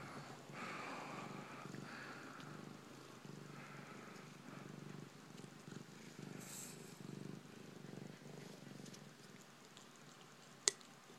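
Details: Siamese kitten purring while drinking craft beer: a soft, steady low rumble with a fine pulsing texture, continuous through the clip, faint overall, with a sharp click near the end.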